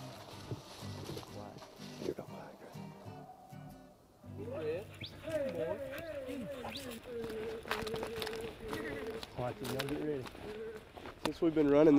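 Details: Beagles on a rabbit hunt in thick cover in Tennessee bay in long, wavering, musical barks after a man speaks, trailing a rabbit that has looped about ten times.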